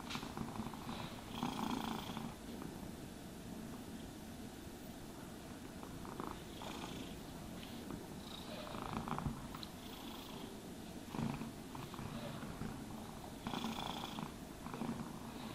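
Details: Continuous low purring from a cat during grooming, overlaid by repeated bristly brushing strokes every few seconds; a quiet indoor setting without voices.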